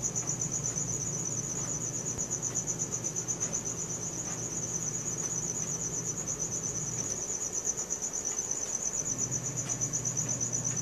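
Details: Nocturnal cricket chirping on a Samsung Galaxy S4, a sustained high, evenly pulsed trill over a low engine-like hum that fades briefly in the latter half.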